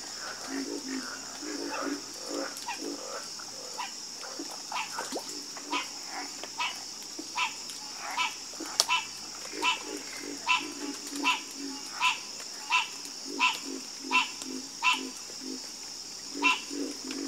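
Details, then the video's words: Night-time frog chorus with a clear run of croaks repeated roughly every second, rising in strength midway, other frogs calling behind and a constant high cricket drone. "Calming Sound Of Harmonious Frog Croaking"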